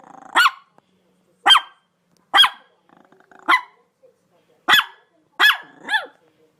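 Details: A dog barks seven times in sharp bursts about a second apart, the last one drawn out into a falling, whine-like tone.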